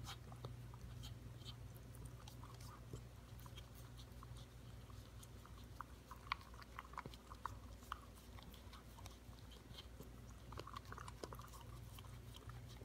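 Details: Corgi puppy, five months old, working its tongue around a yogurt bowl to clean it, giving sharp moist ticking and slurping clicks at uneven intervals, busiest around the middle, with a constant low droning hum underneath.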